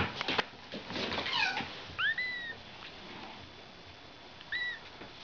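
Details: Ragdoll kittens born on March 31, kept indoors: two thin, high arching mews, the first near the middle and a shorter one toward the end, after a burst of rustling and scratching noises.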